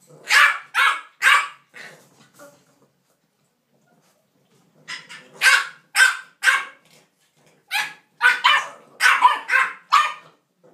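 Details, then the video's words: English bulldog puppies playing, giving bursts of sharp, high yipping barks in quick clusters of two to four, a pause of about two seconds, then a livelier run of rapid yaps toward the end. "English bulldog puppies are playing"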